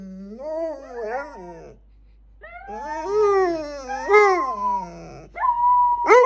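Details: Pet dogs howling in wavering, rising-and-falling tones, a short phrase, a brief gap, then longer quavering howls that end in a higher, sharper cry.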